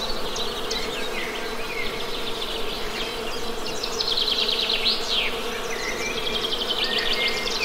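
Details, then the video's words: A thick, unbroken buzz of Western honey bees fills the background as a bird sings fast, repeated high trills and slurred whistles over it. "Best Honey Bee Sound!"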